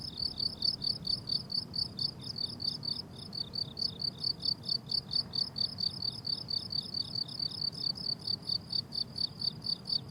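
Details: Summer meadow crickets in bloom, no music or voices: steady train of bright, high-pitched chirps repeating roughly twice per second, a brief dip near the third second, over faint low background hum.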